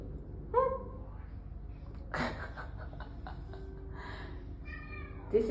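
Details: Male cat, upset after checking into a cat boarding hotel in Singapore, gives two short, sharp meows several seconds apart. A woman talks to it soothingly in between, and a few knocks are heard in the room.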